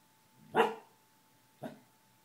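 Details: Gordie, a pet dog, barks at a passer-by in the hall. He is usually quiet and barks mostly at night when someone goes past the door. Two barks, a fuller one then a weaker echo a second later, sound over a low steady room hum.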